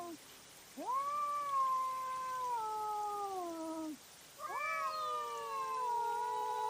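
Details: Fighting cats at night on a trail camera, giving two long tonal yowls, each rising sharply at onset, holding, then sliding down, separated by a short gap.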